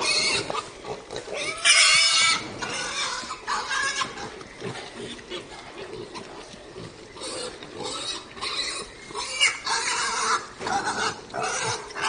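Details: Pig (Sus domesticus), squeals and grunts.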